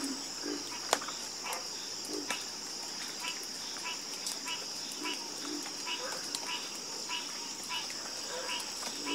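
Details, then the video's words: Chorus of frogs croaking at night, many irregular short croaks and rhythmic pulsed calls overlapping, with an occasional sharp click and a steady high hiss throughout. "FALL ASLEEP FASTER WITH FROGS 🐸 Sleep Like A Baby With The Calming Sound Of Harmonious Frog Croaking"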